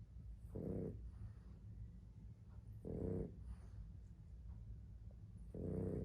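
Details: Boston Terrier dog asleep, snoring softly: three low, breathy, rasping snores spaced roughly two and a half seconds apart, with faint breathing between them in a quiet indoor setting.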